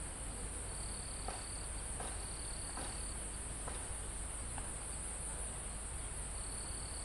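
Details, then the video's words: Crickets and other insects in a calm mountain forest near the summit, recorded live: a steady, very high-pitched continuous trilling drone with a thinner tone that starts and stops, over a low rumble of wind through foliage and a few faint ticks. "Calm Forest in Mountain With Crickets, Insects Sound"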